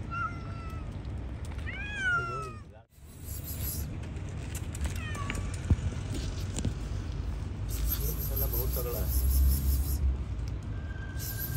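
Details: Hungry cats eating fish outside give falling meows at the start and around two seconds, then faint mews later amid low rumble, brief speech and a passing high hiss.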